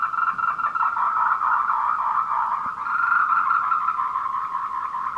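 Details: Tree frog courtship calls from the Meiling Wulong Trail in Nanxi, Tainan, 14:00 on 26 April 2018, Canon PowerShot SX720 HS; a steady, quick-pulsed croaking trill fills the whole stretch.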